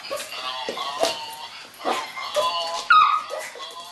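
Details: Pet dog attacking a Christmas cow toy he dislikes, giving strained, high whines and yips in short repeated bursts, with one sharper yelp near the end.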